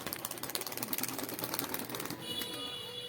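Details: Rapid mechanical clicking like a ratchet, then a steady humming tone, with no animal voice.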